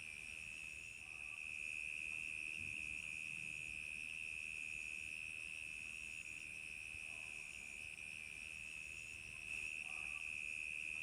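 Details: On a summer night, crickets chirp in a steady, high-pitched stream that barely pauses.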